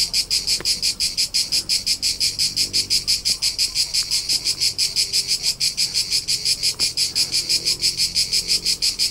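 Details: High, even pulses of cricket chirping, close to three a second, recorded in summer among the rolling hills of Tuscany, Italy; a few faint clicks and a quiet low background.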